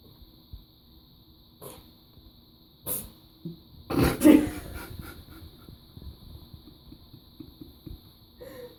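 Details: Domestic cat having a sneezing attack while drinking water: a few sharp, broadband bursts near the middle, two coming close together, followed by soft snuffling and lapping noises in a small quiet room.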